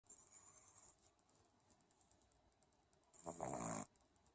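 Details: Jagr the pug sound asleep and snoring: a long quiet stretch of faint breathing, then one loud rasping, pulsed snore near the end lasting under a second.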